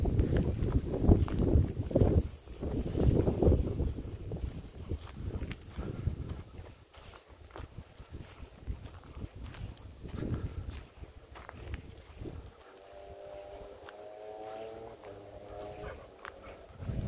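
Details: Two Golden Retrievers, Kohaku and Ibuki, sad to part after being played with in a rice field. Near the end a drawn-out, tonal whine holds steady for about four seconds, after footsteps, rustling and wind, with a woman's voice nearby.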